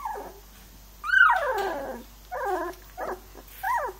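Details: Three-week-old Labrador Retriever puppies whimpering and whining: a long high cry sliding downward, then shorter wavering whines with pauses between, clear and close against a quiet background.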